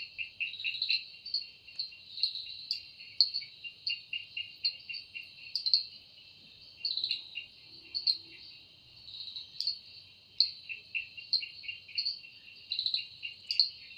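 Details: Cicada singing in a forest at evening: a steady high buzzing drone overlaid with pulsing, rasping bursts that swell and fade every second or so across the whole stretch, with no other clear sounds.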